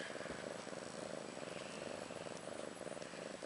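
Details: A mother cat named Ashley, about one year old, nursing two female kittens born March 30th 2013, purrs in a continuous pulsing drone with regular beats and no pauses.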